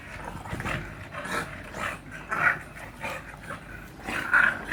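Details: Bulldog named Hiccup during exercise, giving a steady run of raspy snorting breaths about every half second, with a few sharper squeaky peaks.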